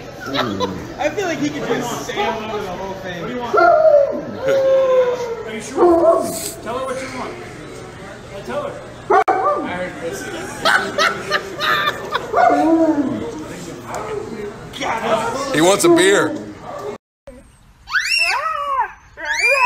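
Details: Siberian Husky vocalizing in whining, yodel-like tones that bend up and down, interleaved with a person talking throughout; after a brief silence, a quick run of high, sharp yips closes the passage.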